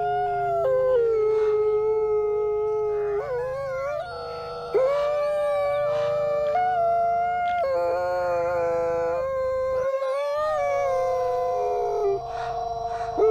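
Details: Brother and sister gray wolves, captive-born Canadian/Rocky Mountain stock, howling together at a wolf conservation center in New York; two voices weave long tones that rise, break, dip and glide against each other, with brief wavering yips between.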